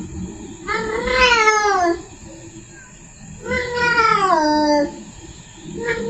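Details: Female domestic cat in heat calls to a male, giving two long, rising-then-falling caterwauls of over a second each, about two seconds apart, then the start of a third, indoors.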